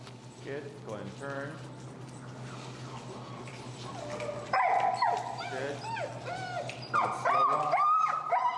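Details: Feral husky Finnegan vocalizes in disagreement while being taught heel with pressure, in Chicago dog training; after human voices, a burst of high, warbling yodel-like whines and yips rises and falls over the last four seconds.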